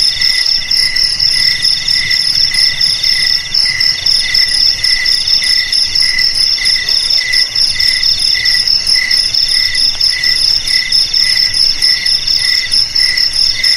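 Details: Many crickets trill together without pause, producing a shrill layered buzz whose lower band breaks into quick rhythmic pulses about four per second.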